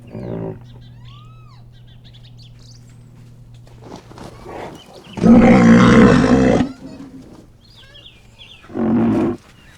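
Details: Wild rhinoceros breathing, bellowing and snorting: a long, loud, rough broadband blast lasting over a second, then a shorter harsh burst near the end. Quiet low rumbling and faint whistled bird notes sound in between.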